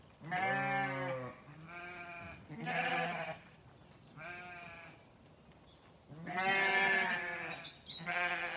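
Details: Lambs on a farm in County Kilkenny, Ireland, searching for breakfast in a trailer moved away from the gate. A series of strong, quavering bleats, some long and drawn out, comes from several lambs with short gaps between calls.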